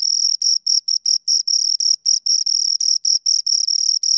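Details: Two crickets chirping close up, a high, pure trill broken into short pulses of uneven length, about four to five bursts a second, with a thin higher overtone and no other sounds.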